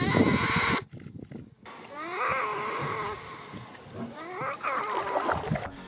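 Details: In the Peruvian Amazon, a young giant otter left alone while eating its fish cries out in bursts of rising, wavering wails, calling for its parents and family after the group left.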